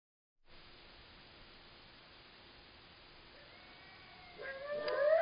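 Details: Coyotes at night in January break into wavering, high sliding howls after a quiet start.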